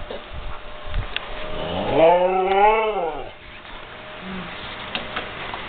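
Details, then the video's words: Siberian Husky howling at thunder: one long harmonic howl about a second and a half, arching up and then sliding down, following low rumbling and muffled thuds, then a brief soft whine afterward. "Siberian Husky Howls"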